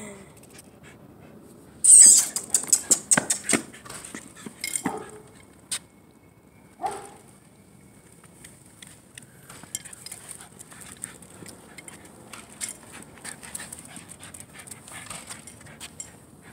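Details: An excited, worked-up Shiba Inu gives quick yips, whimpers and huffs in a burst, then settles to soft panting.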